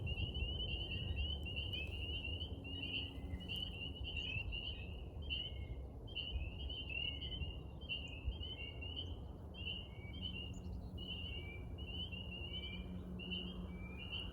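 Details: A chorus of frogs in a pond gives short, high, trilled calls that overlap steadily over a low background rumble.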